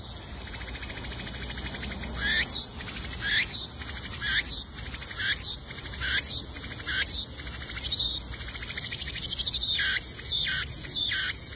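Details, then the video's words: Cicadas in the wild, a dense high shrill buzzing chorus throughout, with louder pulsing bursts swelling roughly every second, steady and unbroken. "the sound of cicadas in the wild"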